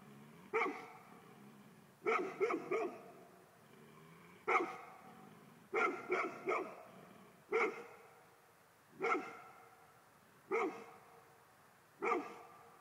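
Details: Golden Retriever male gives a steady run of loud barks roughly every second and a half, several doubled or tripled in quick clusters, harmonically rich and clipped short; no other clear sounds.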